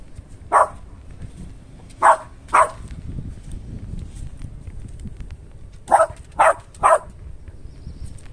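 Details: Westie dog barking at a smell from an air evacuation vent; three sharp barks, a pause of about three seconds, then a quick run of three more, against a low indoor hum.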